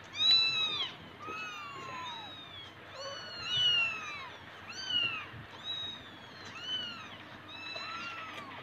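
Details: Persian cats kept for breeding indoors; a clear series of high, arching meows repeated roughly every second, several overlapping harmonics, with little background noise.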